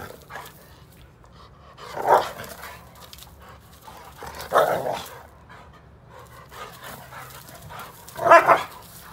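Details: Bluetick Coonhound barking: three loud, deep single barks spaced two to four seconds apart, each a short burst with a rough edge, over a quiet background with a faint low hum.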